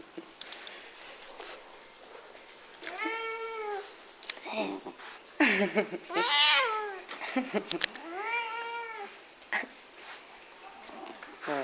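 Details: Several pet cats meowing indoors at breakfast time in the morning: a string of arched, harmonic meows of varied length, some loud and strained, mixed with short clicks, rustling and a woman's voice.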